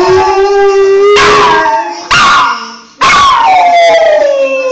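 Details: A Briard named Molly goes wild at a phone ringtone, holding a steady drawn-out howl that then breaks into higher, falling wails in two more loud bursts.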